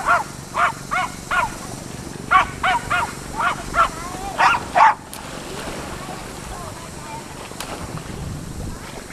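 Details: Jack Russell Terriers, four of them, at Laem Ka beach in Phuket, Thailand: about a dozen sharp yapping barks over five seconds, then quieter beach noise with faint voices.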